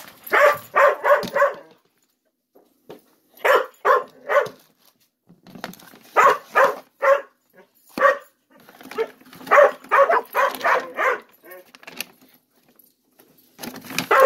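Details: Ten-month-old Gollie puppies waiting indoors to be served breakfast while adult dogs look on, giving short, tonal whining yips in quick bursts of three or four, separated by brief pauses, with faint household clatter.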